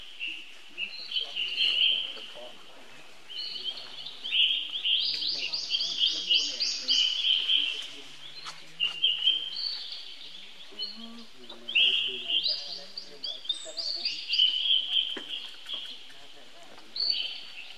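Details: Repeated bouts of shrill, quavering screams from a baby monkey calling for help from his older brother Rainbow, each bout several seconds long with brief pauses between, over low rustling and ambient noise.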